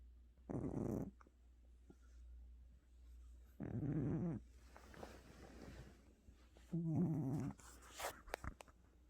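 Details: A house cat named Gucci sleeps deeply after a tiring trip to the hospital, giving three rough, rattling snores spaced about three seconds apart over a steady low background hum.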